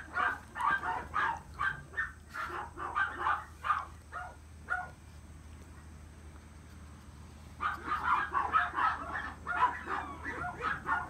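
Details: Male long-coated Chihuahua pup born in April 2018 yaps in rapid, uneven bursts of short high barks, pauses for roughly three seconds, then resumes another string of sharp yips over a low background hum.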